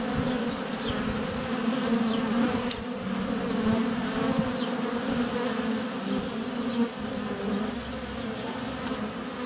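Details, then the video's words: Honey bees in flight around a hive entrance on a sunny February day, filmed up close with a GoPro Hero 7 Black: a dense, steady buzzing hum with bands around 200–500 low notes, faint thin birdsong chirps above, and a sharp click of a bee landing. "4K Honey Bees - ambient video and audio"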